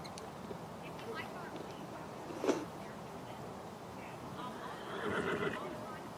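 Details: Morgan horse at the first annual Morgan Horse Association Trail Challenge, held with a stallion parade, snow lingering in shady areas. A brief quavering whinny rises near the end, over steady murmuring voices and outdoor background noise.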